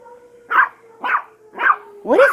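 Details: Yorkshire terriers reacting to an alarm, giving four evenly spaced high yaps about half a second apart, the last stretching into a bent, whining cry, over a faint steady siren tone.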